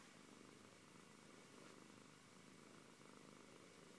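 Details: Short stretch of continuous, even purring by the Siberian cat Antey, a close low rumble rising and falling with breathing.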